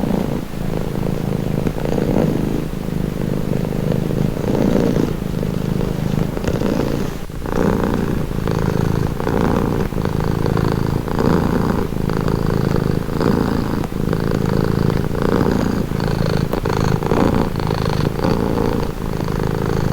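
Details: Calming purr of a pet cat: a deep, even rumble swelling and easing in a regular breathing rhythm roughly every second, with no other sounds intruding.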